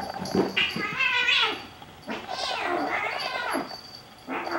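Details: Two Bengal kittens, Xena and Gabbi, playing or fighting indoors; drawn-out harmonic yowls rising then falling, two or three in a row, with a person's voice nearby.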